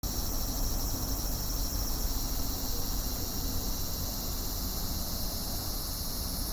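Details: Cicada song: a dense, continuous high buzzing drone with a faintly pulsing texture that holds steady throughout, over low rumbling background noise.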